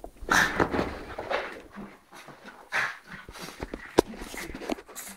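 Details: French Bulldog named Lolo, indoors in a small room, playfully 'attacking' its people: rough breathy panting and short whining yelps in quick bursts, with soft rustling and movement noise.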